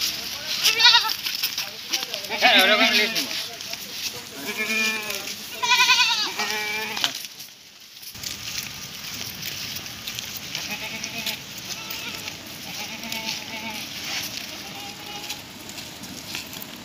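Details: Goats at a West Bengal farm, India, being taken away after sale: several wavering bleats in quick succession during the first seven seconds, then quieter murmuring voices and steady background hiss.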